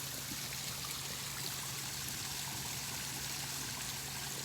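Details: Steady trickling, rushing water with a low hum, and no animal calls heard.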